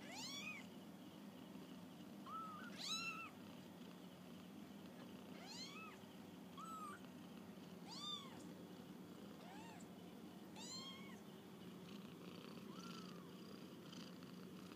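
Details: Kittens on their first walk about; a string of about eight thin, high-pitched arching mews spaced irregularly every one to three seconds over a steady low hum.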